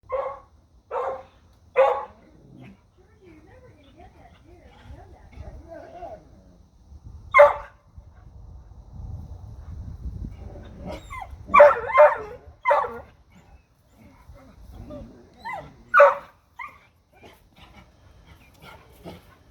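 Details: Dogs barking at a deer outdoors: sharp, short barks in loose bursts of one to three, about a dozen in all over twenty seconds, with quiet gaps and faint low rumbling between.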